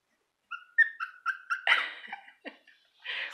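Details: Cairn Terrier puppies from a litter, including the smallest female; thin high whines and whimpers, a short series of rising squeaks followed by a broader yelp and a few softer cries.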